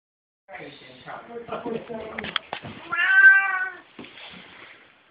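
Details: A pet cat dressed in a turtle costume gives a drawn-out, wavering meow that peaks in the middle, with a person talking before and after it.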